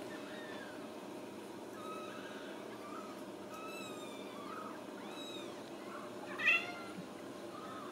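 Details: Ragdoll kittens raised indoors without cages at a home cattery in central Kansas give a string of thin, faint meows that rise and then fall, scattered through the stretch over a steady background hum, with one brief louder click.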